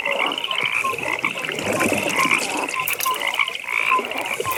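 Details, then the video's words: Nighttime frog pond chorus: dense rapid trills and pulsed croaks overlap continuously, with bright short chirps scattered between them and faint clicks in the background. "Frog Pond"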